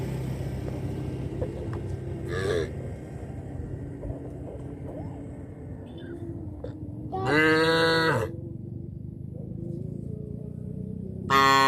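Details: Afternoon walk of cattle back to the village farm barn: a steady low rumble of the moving herd, a faint short moo, then one loud, resonant moo lasting about a second and another starting at the end.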